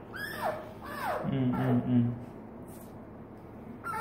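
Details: Sweet, pleading whines from Hesoten, a female pet fennec fox greeting her owner: two quick downward-sliding cries open the moment, followed by a man's low repeated responses and then quiet room noise.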